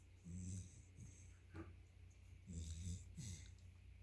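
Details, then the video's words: Sleeping yellow Labrador Retriever puppy snoring: two low, rumbling, slightly wheezy snore phrases, each under a second long, separated by quieter breathing and a soft snort. "Cute puppy lab snoring"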